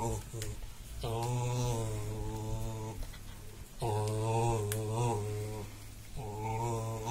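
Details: Friend's pet dog rumbling contentedly indoors while having its back scratched: low, drawn-out groaning phrases of one to two seconds each, rich and buzzy, three in succession separated by short pauses.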